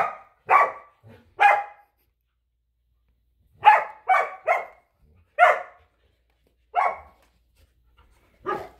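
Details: In a winter yard, Samoyed Luma and Keeshond Zuko battle over a squeaky hedgehog toy. Short, clear barks come singly and in a quick three-bark burst, separated by brief silences.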